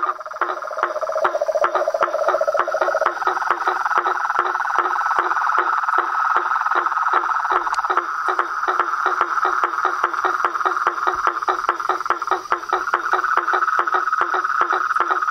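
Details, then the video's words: Frogs, toads and a tree frog in a natural setting. A lower pulsed trill fades after three seconds, leaving a dense higher rattle and quick regular clicks, about two and a half per second, for the rest. "Os sons dos sapos , rãs e perereca na Natureza"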